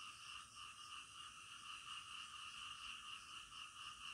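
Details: Frogs croaking at night in a dense, even chorus; a gently throbbing rhythm of roughly one pulse a second rides over a constant high humming background.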